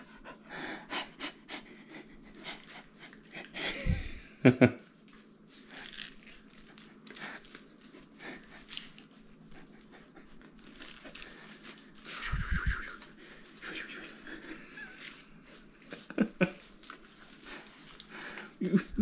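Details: Totle, a black and white purebred male Cardigan Welsh Corgi born and raised in California, USA, pants while getting front and back rubs; quick breathy huffs repeat steadily, with a few louder low thumps near four and twelve seconds.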